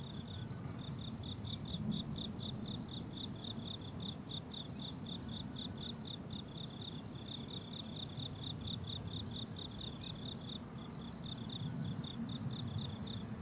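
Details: Crickets chorusing on a blooming summer meadow: rapid high trilled pulses, about two chirp bursts per second, overlapping steadily with brief breaks, over a soft low rumble of wind or distant background.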